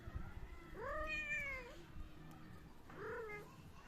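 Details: A cat at play gives two meows: the first is long, rising then gently falling with a slight upturn at its close, and the second is shorter and quieter about two seconds later, with low room noise underneath.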